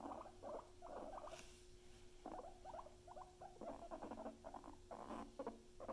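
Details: Pet guinea pigs chatter in uneven clusters of quick, staccato pulses separated by brief gaps, over a constant low electrical hum and light rustling.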